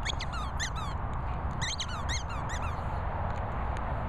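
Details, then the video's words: Pip, a Patterdale Terrier, gives quick bursts of high, thin squeaks, several in a row, then a pause and another cluster, fading toward the end over constant low background rumble. "Patterdale Pip squeaking."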